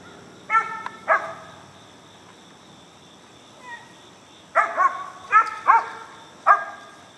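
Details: Young Mountain Cur pup, four months old, barking at a treed squirrel in Alabama: loud, ringing barks, a pair near the start and then a rapid run of four, over a constant high insect hum.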